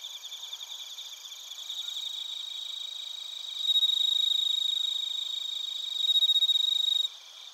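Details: Chorus of bell crickets and other crickets from Narita, Chiba, Japan, captured with a TASCAM Portacapture X8. A soft high trilling bed swells midway into a loud, clear ringing tone with rapid pulses, then fades near the end.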